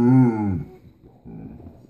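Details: Basset Hound named Joey indoors, saying his "I love you" to his owner: a drawn-out, harmonic moaning tone lasting about half a second, followed by softer, lower murmuring and a short sound at the end.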